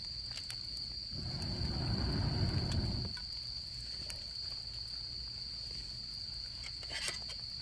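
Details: Autumn insects at a campsite, singing beside a campfire: a steady, unbroken high-pitched trill runs throughout, while a low rumbling whoosh swells for about two seconds near the start and faint fire crackles tick in the background.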